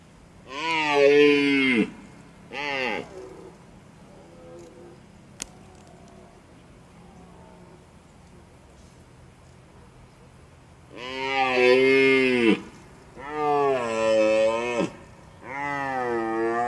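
Red deer giving drawn-out, moaning calls, rich in overtones, with quiet gaps between bouts.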